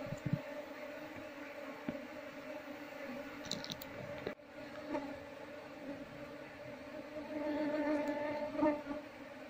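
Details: Honey bee colony humming as it is moved to a hive box, the queen just spotted; a low continuous drone with overtones, clicks and a knock midway, then a louder buzzing surge toward the end.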